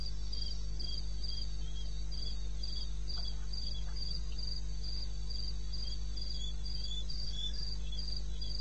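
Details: Night chorus of a cricket in eastern Botswana's wilderness at 02:30 on 21 May 16. Bright, regular chirps come roughly three per second, steady throughout, with a constant deep background drone.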